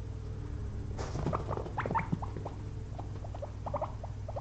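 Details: Two pet guinea pigs napping after a long day of munching frozen blueberries; brief soft squeaks and short chirps in quick succession, with some rustling, over a steady low hum.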